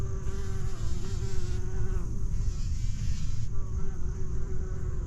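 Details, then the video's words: Bumblebees among fall flowers on a sandhill forest trail in Jennings State Forest, four weeks after a prescribed burn; a steady droning buzz with stacked overtones, dropping out briefly near the middle, over a constant low rumble of wind or handling. "Hi, bumbles."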